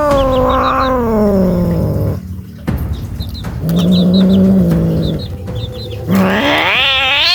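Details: A scared street cat giving low, sustained growling moans punctuated by brief chirpy sounds, ending in a rising wavering yowl.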